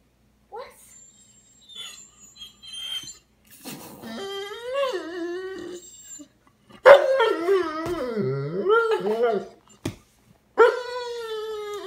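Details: Tired Dobermann that seems to want to go to bed, howling and whining indoors: long wavering tones that rise and fall, with a loud drawn-out howl in the middle and a few short barks, while its owner asks what is wrong.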